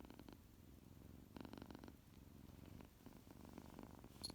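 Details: Tuxie, a tuxedo kitten rousing from his nap, purrs in a low steady rumble, interrupted by brief breathy bursts around one and a half seconds and a sharp high click at the very end.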